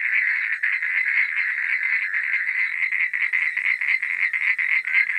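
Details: Frogs at night produce a thick, unbroken chorus of quick raspy clicks and trills, pulsing rapidly and holding a constant high-pitched buzz throughout.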